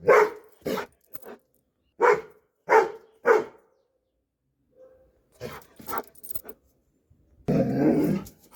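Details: Dobermann giving a run of forceful barks, some paired, at irregular intervals, then softer barks after a short silence, ending with a burst of broad rustling noise.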